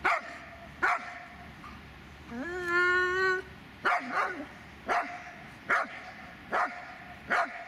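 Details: Repeated short barks from the Dobermann Magmar Von Der Burgstätte, roughly one a second. A single long, steady, high-pitched whine breaks the series midway, then the barking resumes.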